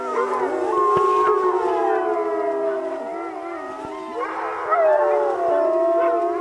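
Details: Alaskan Malamute sled dogs on an Arctic expedition howl together in a long, wavering chorus of overlapping sliding tones.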